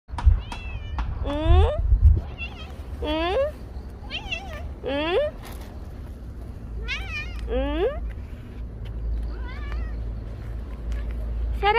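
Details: Stray cat meowing in the morning while waiting to be fed, called Hyeya by its feeder: about eight loud, rising-then-falling meows with clear overtones, spaced a second or two apart, over a steady low outdoor rumble.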